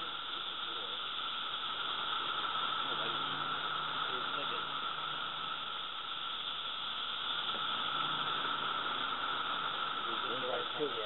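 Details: A loud, unbroken chorus of Brood II periodical cicadas (Magicicada) in North Edison, New Jersey, 2013, about six right overhead, forms a steady hissing drone measured at over 109 dB, with a man talking faintly.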